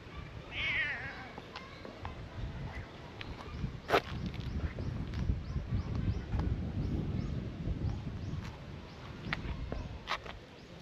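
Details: Brown tabby and white cat talking by a beautiful waterside, as if saying it is hot and wants to swim; one short rising-falling meow near the start, then outdoor background noise with faint clicks and rustling.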